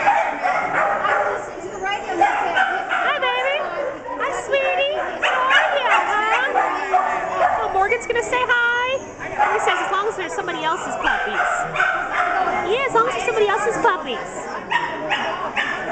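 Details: Three 15-week-old Scottish Terrier puppies at a Scottie rescue day event in Tennessee, May 1, 2010; high, whiny yips and yelps in quick, arching bursts, mixed with people talking nearby.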